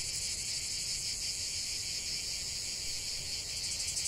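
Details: Cicadas singing together in nature, a dense, steady, high-pitched buzzing that holds without a break, with a faint shimmering pulse inside the drone and a soft low rumble beneath.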